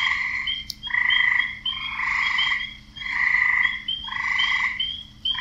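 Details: Frogs croaking to attract mates, males calling: grating, pulsed croak bursts alternating with short gaps, quick higher chirps overlapping, and a soft constant low drone.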